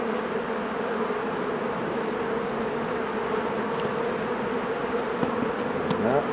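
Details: Honey bees at their hives while a beekeeper works the colonies: a dense, unbroken hum with a steady low droning tone, and a few faint clicks and knocks toward the end.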